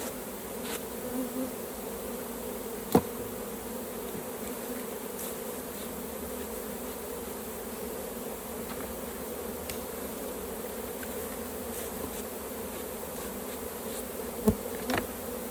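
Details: Honey bee colony drone at the hive while honey is harvested. A steady hum runs for the whole stretch, broken by two sharp knocks, one early and one near the end.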